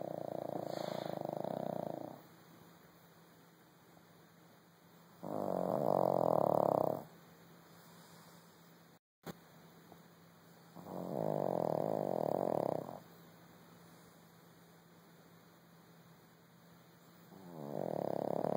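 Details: A small dog napping after a tiring day gives four deep, rough snores, each one to two seconds long and spaced roughly five seconds apart, with quiet breathing gaps and a faint steady background hum.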